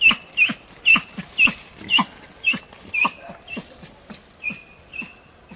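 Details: Training session with wild boar piglets, 6 March 2013: hunting dog Tina bays insistently, quick loud yelps about twice a second that fade toward the end into a thin sustained whine.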